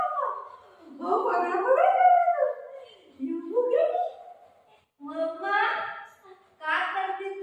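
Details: Golden Retriever named Buzo, a pet dog playing with its owner at home, gives drawn-out wavering howl-like whines in four phrases, rising and falling in pitch, with short silent gaps between them.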